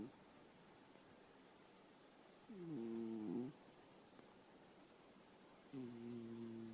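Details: Yu-kun, an elderly pet cat, snores while sleeping: two nasal, tonal snore breaths with stacked harmonics, one near the third second lasting about a second, another beginning near 5.7 seconds, over a steady low hiss.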